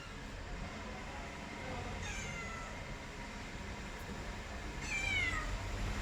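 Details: House cat meowing twice: a softer falling meow, then a louder, clearer one about three seconds later, over constant low background rumble.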